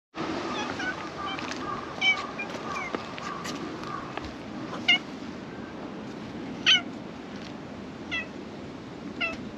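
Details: A black cat that emerged from beneath a shrine's floor to be petted gives short, harmonic meows at about 2, 5 and 6.7 seconds, with a steady low background hum throughout.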